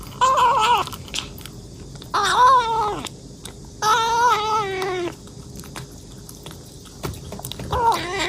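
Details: Hungry kitten eating voraciously, meowing repeatedly: four long, wavering meows, some slightly rising then falling, separated by short pauses with soft chewing noises.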